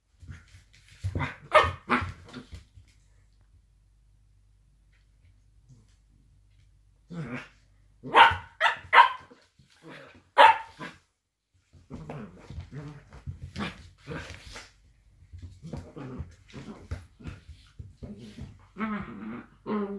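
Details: Blue roan working cocker spaniels, two dogs play fighting indoors, give bursts of short barks and yelps, then a quiet gap, then louder clustered barks and a long run of rapid growly grumbling and yips.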